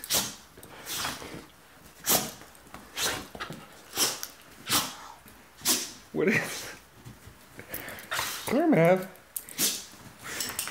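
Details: Maverick, a rescue dog, laughing as the owner gets the leash for a walk: rhythmic breathy panting bursts roughly twice a second, then a couple of short whiny, rising vocal sounds near the end; a woman's voice speaks.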